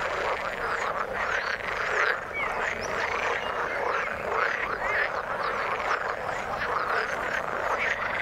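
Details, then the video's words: Overlapping croaks from numerous frogs in the water form a busy, unbroken chorus, with occasional clearer chirping calls standing out above the rest. "Frog sound in the water"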